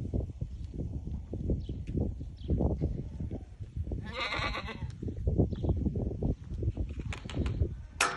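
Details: White Awarid goats in Al-Summan, ten head including the buck, with the does pregnant; a single shaky, nasal bleat midway, amid steady low-frequency thuds and rumbling.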